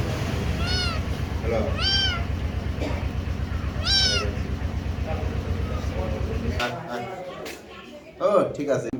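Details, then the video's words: Kittens meowing: three short, high, arched mews near the start, each rising then falling, spaced about a second or more apart, over a steady low hum and background chatter, with softer sounds later. "Sweet Kittens Meowing"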